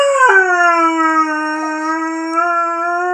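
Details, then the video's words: Curly-coated Retriever Haru, a young male, sustains a howl tied to bitches in season; the pitch drops early, then holds smooth and level, rising slightly at the end. "Curly Coated Retriever Haru howling"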